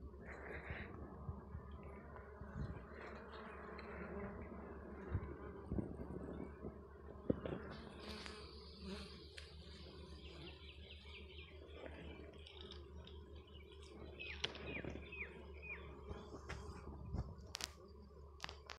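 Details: At a desi honey bee comb in the Balochistan mountains, many honey bees buzz in a steady, low, dense hum, with occasional clicks and rustles.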